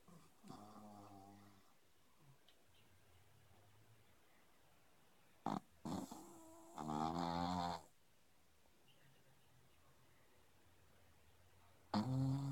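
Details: A sleeping pug snoring indoors: rough, buzzy snores about a second long, a short snort near the middle, a louder drawn-out snore soon after, and another starting at the end, with quiet breathing between.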